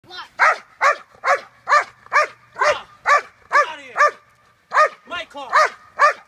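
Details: Belgian Malinois, a hard police-style bite-and-hold dog, in protection training on car apprehension scenarios with a decoy, barking fast and steadily: about fourteen sharp loud barks, roughly two per second, with a brief pause near the end.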